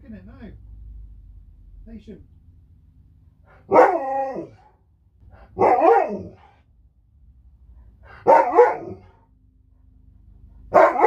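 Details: Sherpa, a pet Alaskan Malamute, indoors with a phone: four drawn-out, wavering howl-talk vocalizations roughly every two to three seconds, with soft speech and faint music earlier.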